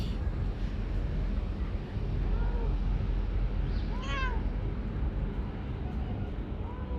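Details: Chatty female calico cat from under a workplace, shy at first then very affectionate, utters a few quiet arched mews, one louder in the middle, over heavy low-pitched background rumble.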